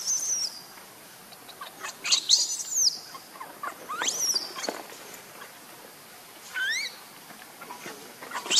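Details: Baby monkey Lucie, crying and foaming at the mouth in hunger for milk, gives repeated piercing screams and rising whistled squeals in bursts every couple of seconds, with rustling sounds between.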